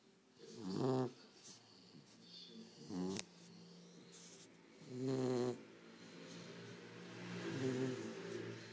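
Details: Cane Corso puppy snoring with its eyes open: slow, rough, buzzing snores roughly every two seconds, each a low harmonic-rich rasp, with a woman speaking softly in Italian.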